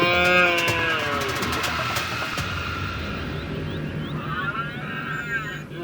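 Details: Red deer bellowing during the rut in Ciudad Real, filmed with a DSLR from a hide. A deep, harmonic roar opens loudly and fades over about two seconds, followed by faint higher whistled notes near the end.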